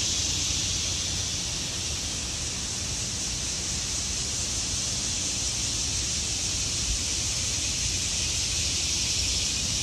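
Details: Continuous high buzzing hiss from many cicadas in autumn trees, smooth and unchanging for the whole stretch, over a light low-pitched background rumble.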